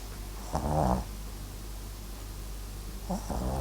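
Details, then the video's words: Papillon–Japanese Chin mix dog snoring while asleep: two short rasping, low snorts about two and a half seconds apart, each under half a second, over a quiet indoor background. "パピヨン 狆 MAXくん！いびきも可愛いね～！ 【 Papillon、 Japanese Chin】"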